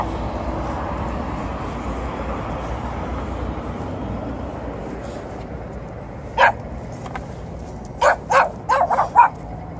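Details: A small, yappy dog greets an Alaskan Malamute and a Golden Retriever. After several seconds of low background hum comes a single sharp yap, then a rapid cluster of high, clipped yaps at the close.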